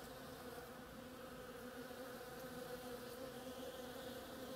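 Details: Bees working the flowers of an oriental creeper give a steady, dense hum of many wings, with a low droning band and faint overtones running unbroken throughout.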